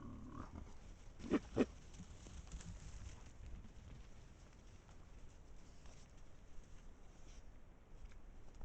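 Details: Wild boars in a pack, filmed on an Estonian trail camera, give two quick low grunts close together early on, followed by quieter rustling and faint background hiss.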